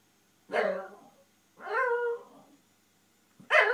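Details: Male Japanese Shiba Inu vents frustration at not reaching his ball behind a TV stand: three harmonic, whining yelps, each about half a second long, in a quiet indoor space.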